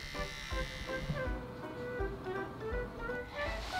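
Music with steady low engine-like rumble and tonal instrumental notes; no animal sounds are heard.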